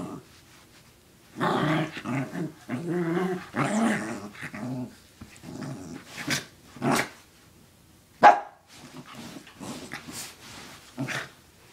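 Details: A dog growling and barking while after a sock indoors: bursts of rough, low growls and gruff barks separated by short quiet gaps, with a few sharp clicks.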